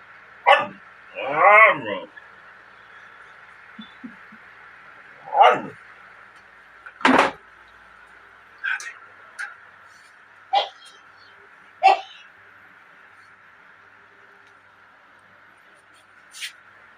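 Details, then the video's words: Pet dog making unusual noises during strange antics: short harmonic barks and yips scattered across the recording, one drawn-out wavering cry near the start, then sharper isolated yelps spaced a second or two apart, over a steady background hum. "Our dog's strange antics. Making unusual noises"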